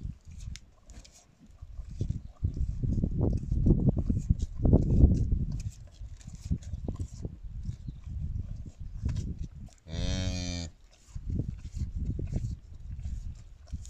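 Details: Brief harmonic lowing during a brown cow's calving on its own at a Kazakh village farm, heard once near the end among steady low handling noise, thumps and shuffling.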